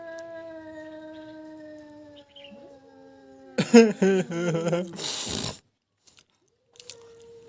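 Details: A pet cat facing a stray cat holds a long, steady, moaning yowl, then breaks into loud wavering cries and a sharp hiss.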